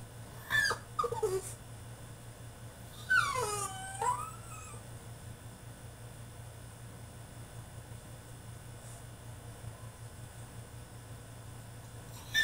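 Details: French Bulldog throwing a tantrum in his cage: a few high falling whines early on, then a long quiet stretch with a steady low hum, and a short yelp at the very end.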